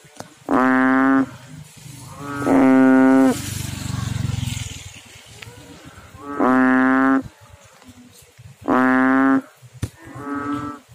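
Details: Frog calling in water: five loud, nasal, harmonic-rich croaks, each lasting under a second and spaced about two seconds apart, with a low rumbling noise filling the gap after the second call.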